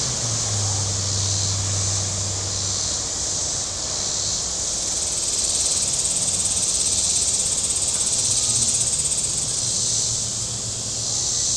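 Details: Cicadas on the shore of Table Rock Lake in southern Missouri on a very warm day: a dense, hissing high drone that swells and fades in slow waves, with a low boat engine hum early on.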